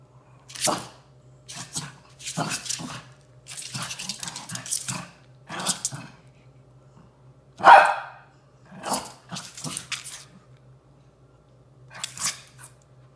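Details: Shih Tzu, one of a pair of house dogs, indoors while reacting to a new orthopedic cuddler bed being unboxed: short sharp barks in uneven bursts, about eight over thirteen seconds, one louder and more tonal midway, with a steady low hum underneath.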